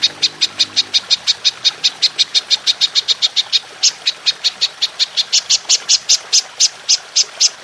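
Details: Golden grasshopper in a clear recording for training songbirds: a steady run of sharp, high, buzzy pulses repeated about four times a second, crisp and even throughout.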